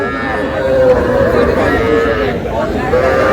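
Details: Young cattle, small bull and heifer calves, at a crowded cattle market with a farmer from Madaripur; drawn-out wavering lowing moos rise over constant loud chatter of people bargaining.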